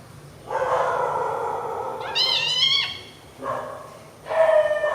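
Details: A newborn kitten among a litter sleeping together on milk gives a long, low drawn-out cry, then a sharp, higher rising mew and two shorter wavering calls.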